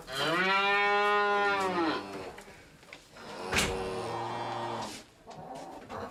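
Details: Domestic cow mooing: a long, steady, harmonic moo of about two seconds, then a second, shorter and fainter moo about a second later, with soft background music.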